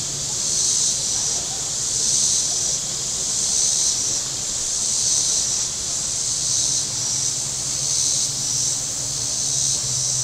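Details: Along Table Rock Lake in southern Missouri on a very warm Saturday, shoreline cicadas make a rhythmic, sizzling buzz, with about six regular surges in ten seconds and a low humming boat motor underneath.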